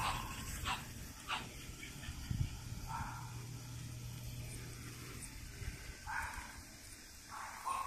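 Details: Soft, brief squeaks from French Bulldog puppies born in June 2017 come in scattered pairs with pauses between, over a low steady hum.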